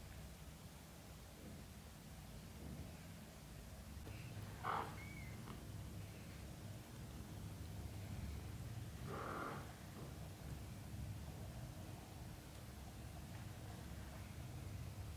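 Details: British Shorthair cats, a mother and her young kittens learning to walk on the floor. Steady low purring fills the background, with two short mewing calls rising above it.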